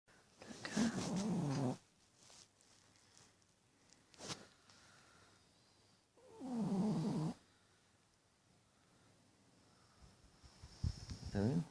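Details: Little puppy sleeping and snoring loudly at night: rasping, throaty snores about a second long, repeated roughly every five seconds, with quiet breathing between.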